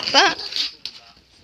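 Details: Chihuahua from the pair Rana and Mac gives one short, high yelping bark with an arched pitch, then quieter rustling and a sharp click indoors.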